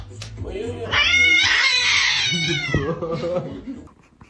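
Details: Cat meowing in one long, strained, high-pitched wail that swells and holds for about two seconds, then trails off, with a human voice and lower household sounds following.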